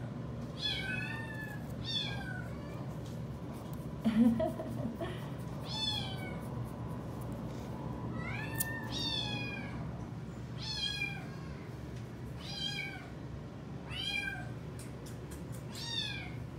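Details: Widget, a female Domestic Shorthair cat up for adoption at a rescue, meows repeatedly: short arched, wavering meows come every one to two seconds over a steady background hum, with a brief bump of handling noise.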